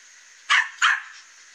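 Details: Loose dog roaming the neighbourhood, barking at the fence at a cat of about its own size on a morning outdoors; two short, sharp, bright barks about a third of a second apart over a steady background hiss.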